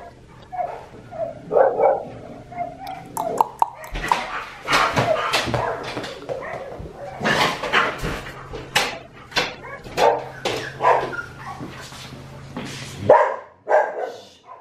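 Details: Red merle male Australian Shepherd puppy, offspring of Magnolia, described as very social, indoors in a small room; bursts of sharp barking and yipping repeat from about four seconds on, mixed with handling noises and a voice.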